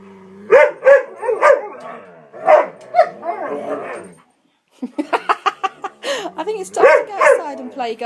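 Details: Three dogs playing indoors, excited because it is nearly time for a walk: dense bursts of rapid yips, barks and growly noises, a brief pause, then another flurry of sharp repeated yaps, with a person possibly speaking.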